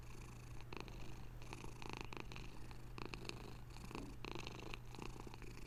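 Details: A pet cat purring up close indoors: a steady low rumbling purr with soft rhythmic pulses as it breathes in and out, over a constant faint electrical hum.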